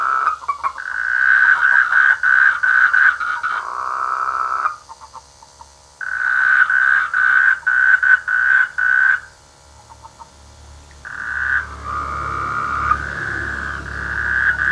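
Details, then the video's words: Frogs croaking in village rice fields during the rainy season: dense bursts of rapid, buzzy pulsed calls, each run lasting a few seconds, broken by short pauses and overlapping callers. "The sweet sound of frogs in the rainy season"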